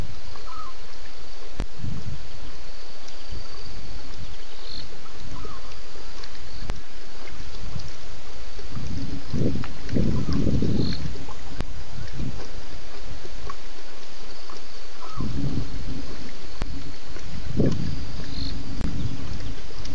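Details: Lions, at least two, roaring by Djuma waterhole at night, 1:30 a.m., 11 November 2016, after a drink; scattered deep, rumbling grunts rise out of a constant hiss, with faint high chirping insects or birds behind.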